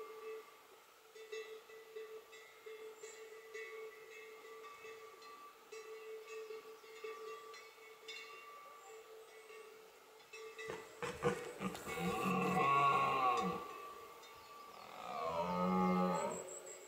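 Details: A red deer stag gives deep, rough rutting roars that swell and fade over a steady background hum, recorded during the 2020 rut in the Hautes-Pyrénées, France.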